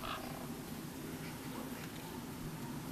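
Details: Honeybee colony kept in an apiary and checked on 03 11 21, now holding bees on about five frames: a steady low hum with even tonal bands lasting the whole stretch, under broad hiss.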